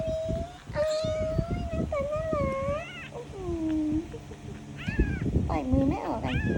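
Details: Kitten mewing over and over, long steady tones alternating with quick upward-sweeping cries, while a woman speaks in the background throughout.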